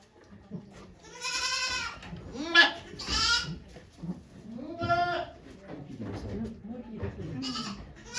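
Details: Goat giving birth to twins on a Japanese goat farm on 3 May 2023, volunteers present; several harmonic, quavering bleats in quick succession, some rising then falling, with low voices and rustling between.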